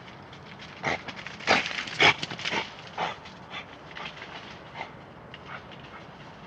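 Badger giving a run of short, breathy snorts and huffs, loose and irregular at about two a second, with a few louder bursts near the start.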